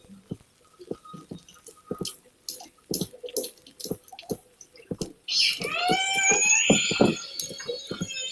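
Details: Resident killer whales (salmon-eating orca, which constantly talk to each other), recorded by hydrophone, give a run of sharp clicks, then loud, squealing, sweeping calls rich in harmonics.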